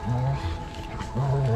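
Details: Pack dogs squabbling over a deer carcass in winter snow, one dog double-teamed by others: short, deep rumbling growls at the start and end, with a quieter gap between them.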